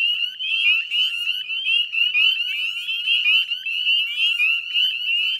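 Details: At dusk on 18 May 2020, a chorus of northern spring peepers rings from wetlands by the Chezzetcook salt marsh, Nova Scotia, Canada. Countless sharp, rising peeps overlap in a constant high-pitched shimmer.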